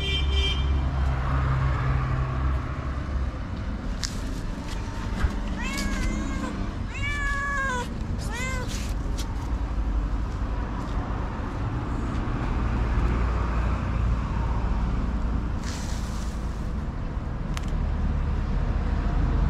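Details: Hungry tabby with thick fur lets out a quick run of three or four plaintive meows in the middle of the recording, surrounded by heavy street and vehicle rumble.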